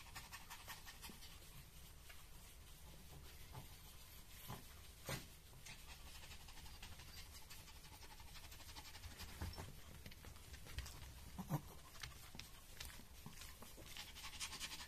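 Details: Maria, a thirteen-year-old senior female fawn pug in Japan, recorded on 24 October 2023. She pants steadily, with soft rhythmic breaths throughout and a few louder breathy bursts near the middle and end, in a quiet indoor setting.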